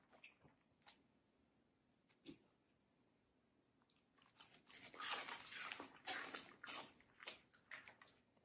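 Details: Middle the Samoyed, a medium-size female, chomping crunchy watermelon indoors. Sparse single crunches open the recording, then from about four seconds she chews steadily with loud, juicy, crackling bites roughly twice a second.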